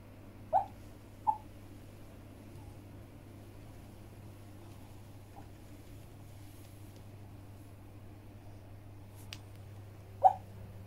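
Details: Brownie, a Shih Tzu dog, having a nightmare indoors: a few short, sharp whimpering yelps, two close together at the start and one more near the end, with long quiet gaps and a steady low room hum.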